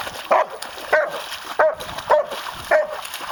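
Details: Pet German Shepherd Myrkvi hunting for his lost little rock in a pond: five short, sharp whining yelps, each rising then falling, spaced roughly every 0.6 seconds, over faint water noise.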